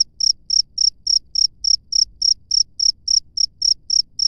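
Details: Wild cricket chirping in the open, a steady series of short high-pitched pulses repeated about three and a half times per second, clean and uninterrupted over a faint low background hum.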